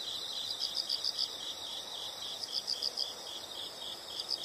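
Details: Faint chorus of insects: groups of rapid, high, evenly spaced chirps rising from a steady shrill hum, with noticeable background hiss throughout.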